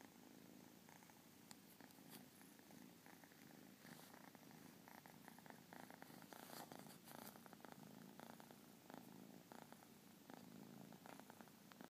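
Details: Persian kitten purring; a steady low continuous rumble runs throughout, overlaid by soft rustling and scattered clicks.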